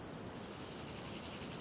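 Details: Variable Chorthippus grasshopper stridulating: a thin, very high hissing buzz that swells steadily in loudness over under two seconds, with faint rapid pulsing through it and nothing else audible.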